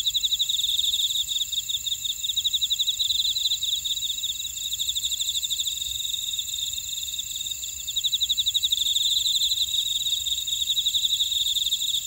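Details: Buckwheat-field insects of Ora-dong, Jeju City, South Korea, calling together: fast pulsed high trills repeating in long runs over a constant shimmering background hum, louder stretches near the start and again toward the end.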